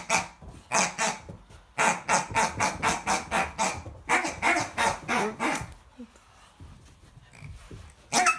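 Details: American Akita puppy confronting a pig, giving a fast run of sharp, yappy barks, about three or four per second, then a quiet pause and one more bark at the end.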